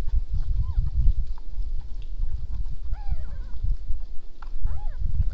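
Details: Wild boar recorded by a deer camera in darkness at 22:49 on 27 November 2014 give short, arching squeals over a steady low rumble of grunts and movement.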